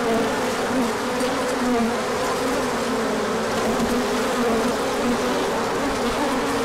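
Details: Bees swarming out for a large orientation flight when the sun appeared after colder weather, 24 March 2024, pollen coming in: a constant layered buzzing drone with individual bees briefly shifting pitch as they pass.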